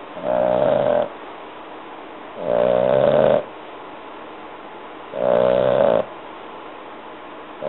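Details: French Bulldog puppy, a three-and-a-half-month-old female, snoring loudly while asleep. Three nasal, buzzing snores with a tonal whine, each lasting under a second, come about every two and a half seconds over a quiet hiss.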